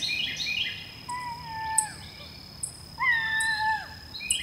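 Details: Bobcat howling, meant to keep raccoons and rodents away: two drawn-out, wavering yowls. The second starts loud and slides downward. A steady high whine and faint clicks sit in the background.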